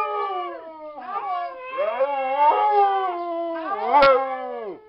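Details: Dogs howling at a vigil for the Whistler 100: several long, wavering harmonic howls overlap, sliding up and down and starting at staggered moments, with a brief sharp click near the end.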